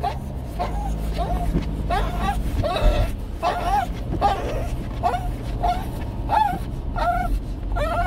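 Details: Seventeen-year-old Shih Tzu with dementia making a fuss at night: short, bent, whiny yelps repeated about every half second to one second, against a steady low background hum.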